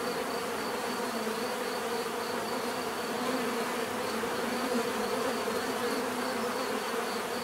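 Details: Continuous bee buzzing, a thick low drone that swells gently in the second half, with a soft, rhythmically pulsing high whine throughout.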